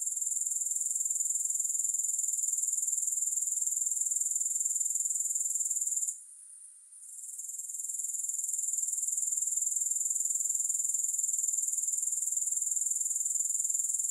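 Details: Steady grasshopper chirring, shrill and finely pulsed at about four beats per second. A brief lull comes around six seconds before the sound slowly recovers to a constant high shimmer.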